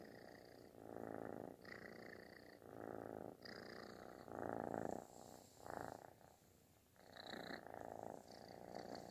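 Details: Kitten seeking affection with an explosive, snore-like purr; gravelly rumbling bursts following breathing rhythm, louder in the middle, with a short quieter pause before resuming.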